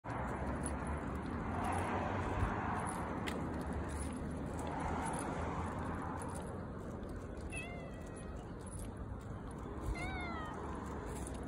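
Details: Stray brown tabby cat approaching from a distance in the morning and asking for food, giving two short rising-then-falling meows near the end over steady low traffic-like rumble and background noise.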